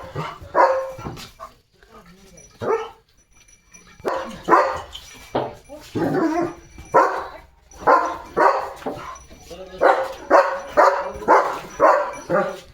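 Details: Leo, a German Shepherd in a courtyard who is limping after hurting a paw, gives irregular barks that build into a quick steady series near the end, with a voice speaking in between.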